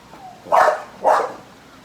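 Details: American Bully dog described as getting angry, giving two deep, gruff barks about half a second apart, with a man's voice and outdoor background noise.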